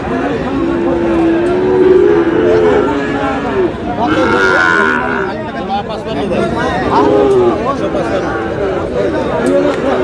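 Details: Sahiwal breed bull calves being bought and sold at Aftabganj market, Dinajpur, on 8 August; two low, sustained moos, one early and one around the seventh second, rise from a busy background of haggling speech.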